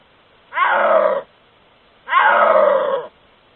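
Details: Snow leopard (Panthera uncia) caught on trail camera in its natural habitat, giving two drawn-out, moaning wails of about a second each, eerie rather than a roar.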